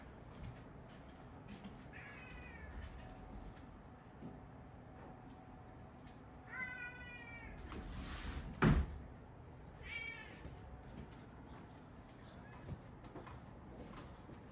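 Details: Munchkin cats squabbling indoors as pets, drawn-out wavering meows with rising and falling harmonics near two, seven and ten seconds, a sharp knock midway, otherwise quiet room.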